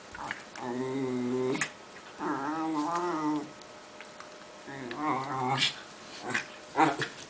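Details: Two Italian greyhounds playing together: three long harmonic growl-whines of about a second each, separated by short pauses, followed by scuffling and a few sharp clicks and thumps near the end.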